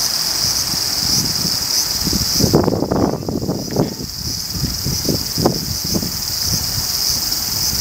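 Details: Abura-zemi, the large brown cicada of Japanese woodlands, heard in summer as a continuous, even, high-pitched sizzle, similar to spattering hot oil, over repeated low rustling knocks that cluster through the middle seconds.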